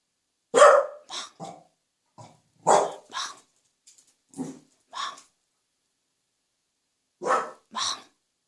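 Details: A Welsh Corgi, which barks more when family are nearby, gives short, sharp barks in uneven bursts with quiet gaps, after eating, while its owner urges it to bark quietly.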